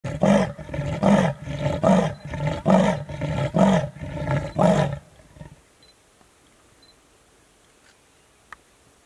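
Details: A male Senegal bush leopard gives a series of deep, rasping grunts, roughly one per second, then falls silent.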